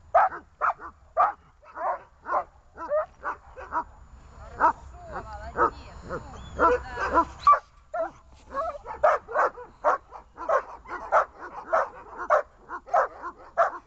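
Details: Leashed dogs named Glemmy, Fela and Rey give short, high yappy barks in steady runs. A midsection holds rougher, denser barking with a faint whine-like sweep before the clipped barks resume at a rapid pace.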